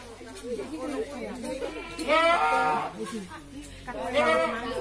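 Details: Qurban sacrifice goat during the slaughter process, uttering a strong quavering bleat followed by a shorter one, over continuous background chatter of people.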